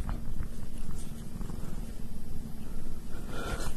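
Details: A domestic cat purring, a steady low rumbling throb pulsing continuously with slight rhythmic swells in loudness, indoors, with no other clear sounds.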